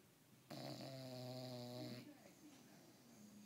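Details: An English Bulldog snores during a long nap with one long, low, rattling buzz, followed by softer breathing.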